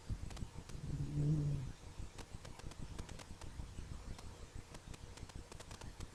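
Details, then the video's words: Sleeping dog snoring: one low, rumbling, harmonic snore lasting under a second, followed by soft ticking and rustling sounds in a quiet room. "Cute Dog Snoring !"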